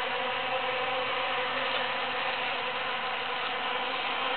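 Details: Many busy bees foraging through huge cactus flowers after the June 22, 2013 Super-Full Moon; a dense, steady, overlapping hum with layered harmonic tones, unbroken throughout and without other clear sounds.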